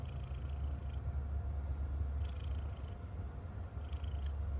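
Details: A happy domestic cat purring steadily, a dense low rumble pulsing rapidly and continuously throughout, with a few faint higher hissy breaths or rustles at about two and four seconds.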